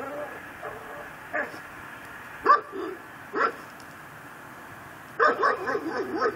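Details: A neighbor's pit bull, tied to a post in a yard and said to bark day and night, barks from a distance around midnight in December, in single gruff barks, then a quick run of several.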